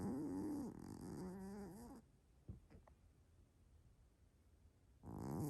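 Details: A big sleeping Maine Coon cat snores loudly, "like a human", each breath a long, wavering, rasping rumble that rises and falls in pitch. A quiet pause with a few small clicks falls between snores.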